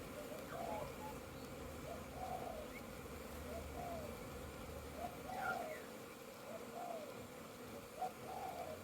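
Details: Crowds of honey bees circle outside a busy hive during orientation flights on 22 September 2022. A continuous droning buzz is heard, with short rising-and-falling whooshes every second or so as bees zip past.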